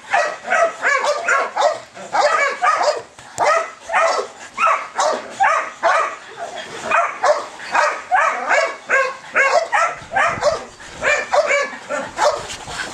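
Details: Belgian Malinois showing high ball drive, barking in rapid, insistent clusters of two to four sharp barks, each burst separated by brief pauses, keeping up steadily throughout.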